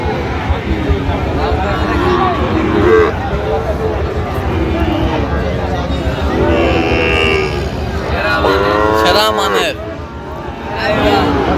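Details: Sahiwal bull calves at a cattle market in Ghoraghat, Dinajpur, on 13 November 2025. A drawn-out, harmonic lowing swells and bends upward near the end, partly buried under steady crowd chatter, haggling voices and passing vehicle noise.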